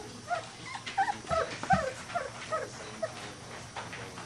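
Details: Bravo litter Weimaraner puppies at three weeks old, at play: a run of short squeaky whimpers and little grunts, irregular, about two or three a second, fading toward the end, with faint handling noise.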